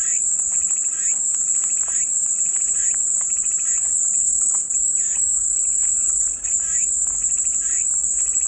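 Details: Cicadas singing for relaxing white noise, a dense high-pitched sizzling drone running without pause, over soft irregular chirping notes lower down.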